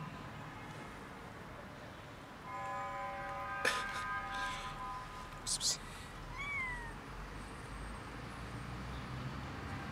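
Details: Many cats gathering for dinner, one rolling on the ground. A steady, drawn-out tonal cry of about a second is followed by sharp clicks and knocks, then a short, falling, whining meow. Quiet outdoor background.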